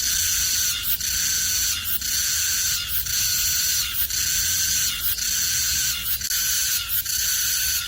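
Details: Korean cicada producing a strident high buzzing song pulsed at about one beat per second, each burst separated by a short dip, loud and regular.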